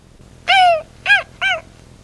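Three short, high whines from a dog, each a clear arched tone, the first longest. Whining like this voices dissatisfaction or a demand, such as wanting food, a toy, or to be let out.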